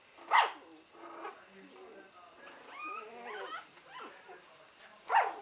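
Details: Buttercup's three-week-old puppies in 2015, with a pup sleeping in the back; two sharp yelps at the start and end frame a run of wavering whines, with a woman's voice speaking softly alongside.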